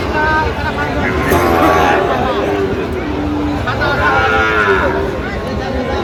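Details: Sahiwal bull calf, Chittagong cattle market, Bangladesh, 13 November 2025: two separate moos, a shorter bellow early and a longer sliding one later, over steady human babble and background noise.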